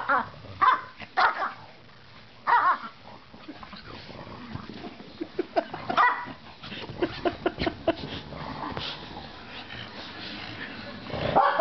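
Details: Pugs and Pekingese playing and running around: sharp barks in clusters at the start, around two and a half and six seconds, then scattered snaps and grumbles, with a louder burst at the end.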